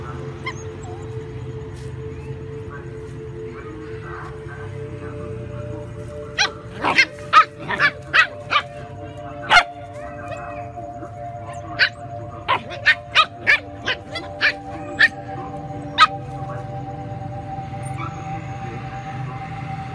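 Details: Little dogs fighting with bigger dogs over food; a burst of quick, sharp barks and yips in the middle stretch, with a steady background hum and faint music.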